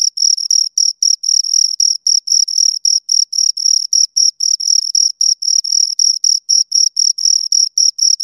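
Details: High-pitched stridulation from two crickets heard close up, short scraping chirps repeating steadily at under four per second, a continuous rhythmic pulse with silence around it.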